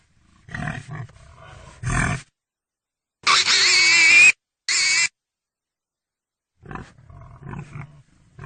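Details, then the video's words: Pig alternating low grunts with two loud, shrill squeals in the middle, the first about a second long and rising slightly, before soft grunting resumes. "Pig sounds Pig sound effect"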